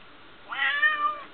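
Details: A single clear, steady meow from Smokie, a female pet cat who likes to tell her owner what is on her mind; the tone rises slightly at the start and holds before trailing off.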